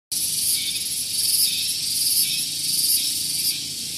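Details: Cicadas singing in the morning on Gunung Geulis, Bogor, West Java, Indonesia: a loud, continuous high-pitched shrill buzz with slight pulsing swells, steady throughout, near a vehicle parking area.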